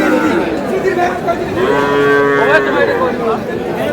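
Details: Sahiwal bull calves at a cattle market in Thakurgaon, Bangladesh: one drawn-out, harmonic moo lasting about a second, rising then gently falling, amid lively crowd chatter and bargaining voices.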